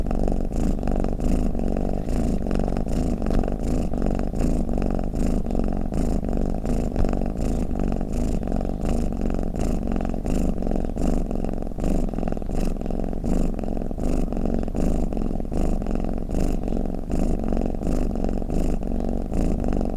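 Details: A purring cat snores in an unbroken low rumble, the fast fluttering pulses running evenly through twenty seconds at a constant level, with no other animals or noises.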